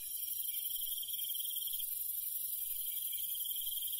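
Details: Night insects and crickets in rural countryside: a continuous shrill, hissing chorus with a bright, even trill running through it, no other sounds standing out.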